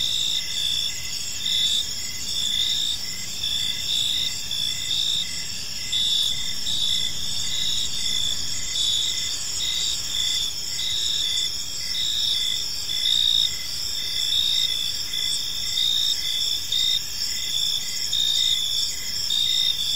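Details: Crickets on an evening in a park chirp in dense, steady trills, fast high pulses repeated without break for the whole stretch, several layered voices, calm background with no birds or people.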